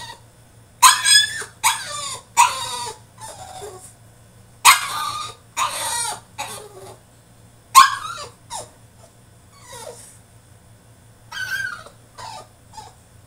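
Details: French Bulldog throwing a tantrum in his cage, giving repeated loud rasping yelps and squeals in irregular bursts about a second apart, mixed with softer falling whines, over a faint low hum.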